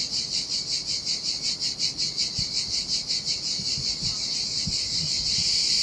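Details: Summer cicadas singing by the sea in Sardinia, their shrill pulsing buzz running continuously while waves wash over the sand of an empty beach, with a few low thuds of surf.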